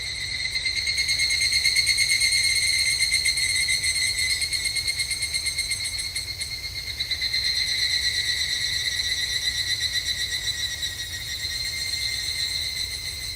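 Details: Evening cicadas calling at a temple in Japan on a summer evening: a dense, shrill pulsing trill with bright ringing overtones that swells, fades around the middle and swells again, with no other clear sounds.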